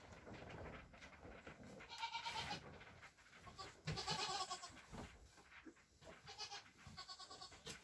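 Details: Hours-old Nigerian Dwarf goat kids, one buckling and one doeling, with their proud mother: quick overlapping bleats and bright nasal cries in clusters, with panting breaths and rustling between.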